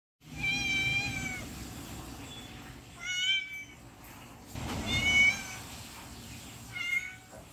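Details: Hungry cat, described as cute, sadly coaxing and begging for food with four plaintive, high meows. Each is drawn-out or short with a wavering pitch, separated by pauses of about two seconds, over a low background rumble.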